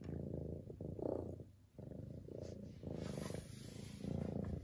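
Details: Domestic cat Lily running her deafening purr in a deep, pulsing rumble that swells and fades in breath-length cycles about once a second, with a brief quiet dip midway.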